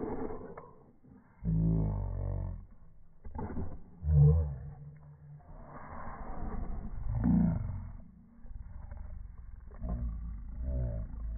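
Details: Boston Terriers squabbling over a ball that one has taken, giving deep, rumbling growls in uneven bursts with louder snarling peaks, some drawn out over a second or more, indoors.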